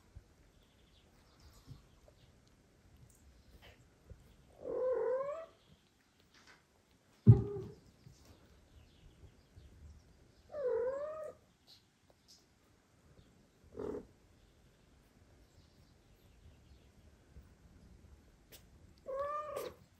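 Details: Mother cat declining to feed two foster kittens while the father cat comes to help. Repeated short, falling meows come about every five to six seconds, with soft thumps and movement noises between them in a quiet room.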